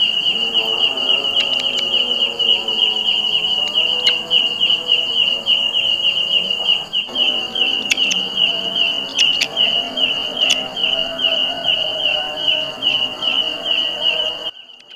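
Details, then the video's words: A kecek grasshopper, a kind found on jackfruit trees, gives a very loud, steady, high, buzzing trill that runs on without a break. "suara belalang kecek"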